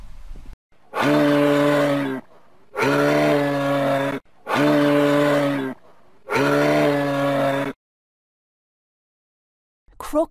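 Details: Moose giving four identical, drawn-out, deep harmonic bellows, each lasting just over a second and spaced evenly about two seconds apart, with a brief spoken word at the very end.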